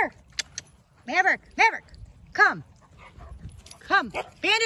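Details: German Shepherd puppies on their first swim: a run of high, arching whines and yelps, each sliding down in pitch, several in quick succession, with a man calling the puppies over them.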